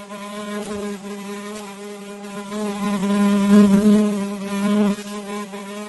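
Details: Fly wings producing an even, sustained low buzz, rich in overtones, swelling louder in the middle and easing off again toward the end.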